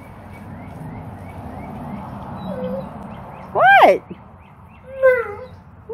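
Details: Tonka, an Alaskan Malamute, cries in the pool after jumping in without permission while the owner stepped inside for a minute; two loud, wavering, high whining cries about a second apart over faint background chirps.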